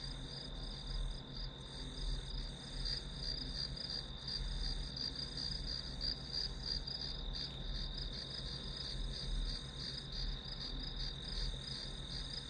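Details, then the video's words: Unbroken high-pitched insect chorus of grass insects, a dense, evenly pulsing trill held across the whole stretch, set against a faint continuous low electrical-sounding hum, used as study white noise. "풀벌레 소리"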